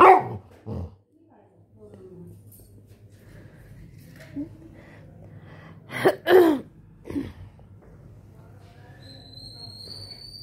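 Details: Labrador Retriever puppy giving a few short yelps and barks, two loud ones close together near six seconds, with a person laughing just before.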